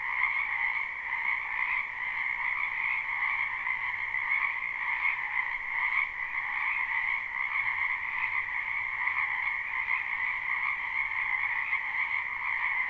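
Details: A spring wetland full of frogs, live recording: continuous massed croaking as a shimmering high-pitched trill and a lower band beneath, steady for the whole stretch with gentle swells, no birds, voices or wind.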